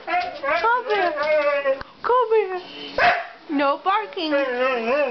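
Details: A male Siberian Husky gives a run of yodelling, rising and falling howls in short bursts, asking to go outside to relieve himself, while a person talks back to him in between.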